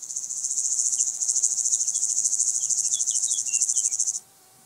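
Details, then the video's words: White-headed Toothed Grasshopper recorded at Sandberge Oberweiden, Austria, 15 July 2020: a steady high rasping buzz of fast regular pulses lasting about four seconds, then stopping abruptly, with faint soft chirps beneath. "Stenobothrus fischeri -- Südlicher Heidegrashüpfer -- White-headed Toothed Grasshopper"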